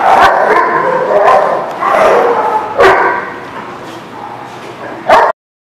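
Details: Dogs barking amid a dense, noisy background: sharp, loud barks break through about four times over several seconds, with steady murmuring sound between them.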